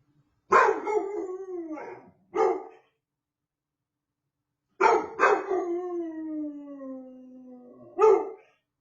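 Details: A young male dog's very first howls: long, clear wails that start sharply and slide slowly downward in pitch over one to two seconds, each followed by a short yelp, with quiet gaps between.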